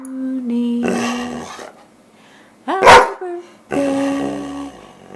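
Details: Dobermann howling along while people sing Happy Birthday. Steady sung notes open and close the passage, and a short dog cry sweeps sharply upward in the middle.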